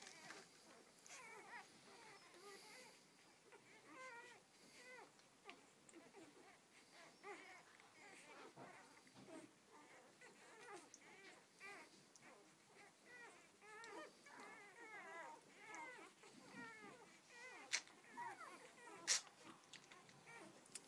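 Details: Newborn Rhodesian Ridgeback puppies, a first litter of twelve: a continuous soft chorus of overlapping high, squeaky, rising-and-falling whimpers and mews, with small rustles and handling noises throughout.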